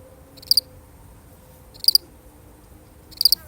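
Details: One lonely cricket chirping alone, a real recording: three short high chirps, each of two or three quick pulses, spaced well over a second apart, against quiet background hiss.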